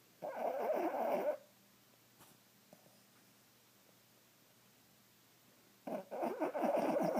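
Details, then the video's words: Sleeping Boston Terrier dreaming on a couch, two loud rough snorting snores, one at the start and one near the end, separated by several seconds of quiet breathing indoors. "Boston Terrier dreaming and snoring!!"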